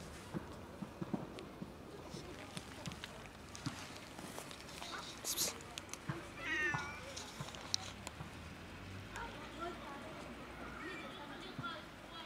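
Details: A sad cat lets out a short wavering meow in the middle of the recording. Outdoor urban ambience, scattered knocks and voices surround it.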